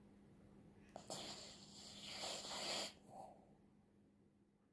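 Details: Sleeping poodle's snore: a rough, breathy rasp nearly two seconds long that swells and then cuts off, followed by a softer short breath, over a faint steady hum.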